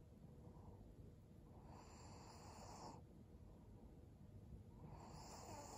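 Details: Snoring breaths from Maria, a senior fawn pug, female and 12 years old, recorded in Japan in December 2022: two drawn-out raspy inhalations about three seconds apart over a steady low rumble.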